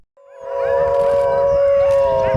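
A wolf gives a long, steady howl that holds one mid pitch for about two seconds, rising only faintly toward the end.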